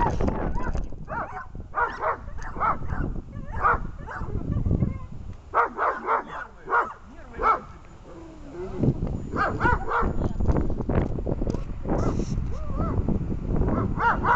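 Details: German Shepherd during protection training, barking in repeated bursts of short harsh barks, with pauses between series; low rumbling background noise and some voices present.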